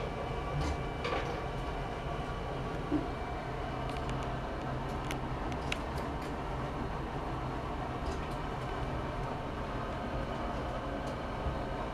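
Steady low rumble of a moving train or vehicle with a few clicks and knocks, no animal voice.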